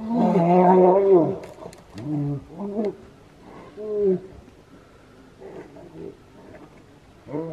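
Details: Wild brown bears fighting in Finland in July 2018: a long, loud, harmonic roar that wavers in pitch, followed by shorter moaning roars roughly every second, then quieter growls and a final roar.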